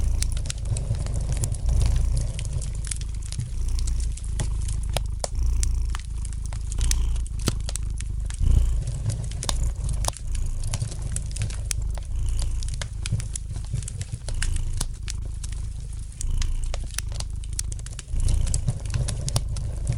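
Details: Gentle purring of a domestic cat: continuous deep throbbing hum, slightly swelling and fading with each breath, overlaid by frequent crisp crackles from a fire in the fireplace.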